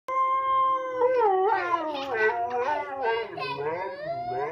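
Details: Siberian Husky howling: a drawn-out, tonal, wavering howl that starts steady, then bends up and down in yodel-like, voice-like swoops with rich overtones, continuous for about four seconds.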